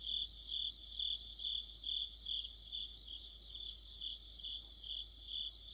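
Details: Autumn insect orchestra led by crickets near a streetlight: evenly spaced shrill chirps, a little over two a second, layered with a quieter, higher pulsing call. A faint low drone sits in the background.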